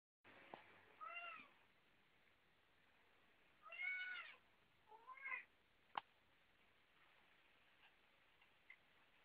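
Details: A domestic cat meowing indoors, three separate arching meows spaced a couple of seconds apart, the middle one loudest, with a sharp click and faint room hiss.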